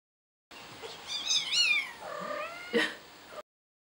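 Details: Kittens fighting: a loud, wavering harmonic yowl rising then sliding down over about a second, followed by a lower drawn-out descending whine and a short harsh squall near the end, against a quiet background.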